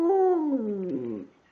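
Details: Short howl from Precious, a female pet dog singing: a clear, slightly raised tone that steps down and fades away in just over a second.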